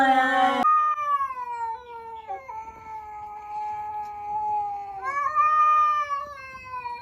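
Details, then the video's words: Domestic cats facing off before a fight give a loud, drawn-out yowl. A short harsh burst opens it, then one long tonal wail slowly sags in pitch, dips briefly, steadies, and swells upward again near the end. No other clear sounds. "Funny Cat Noises Before the Fight"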